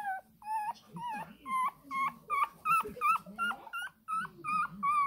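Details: A Shih Tzu puppy, 20 days old, whimpers insistently for milk in quick, short, upward-bending yelps, roughly three per second, steady and evenly spaced.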